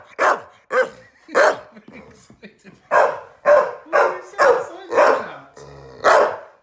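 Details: Lizzie, a female Staffordshire Bull Terrier x Rhodesian Ridgeback, off the sofa and telling off her laughing owner indoors: a series of loud, short, gruff barks about every half second with brief gaps, faint human voice between.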